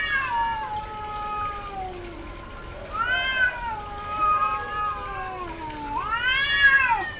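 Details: Female domestic cat in heat, calling often, gives long drawn-out harmonic meows that rise and fall, with a louder arched wail near the start and two more near three and six seconds; a lower moaning tone runs beneath.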